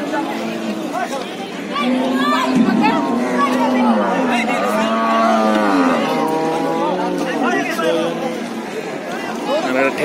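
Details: Cattle coming off a stranded, cattle-laden trawler onto the shore. Several long, wavering moos rise and fall one after another, some bending upward, with people talking and crowd noise throughout.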